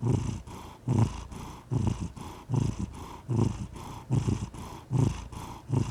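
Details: Relaxed cat purring, a soft low drone that pulses in a steady breathing rhythm, each surge lasting under a second, repeated around 74 times a minute.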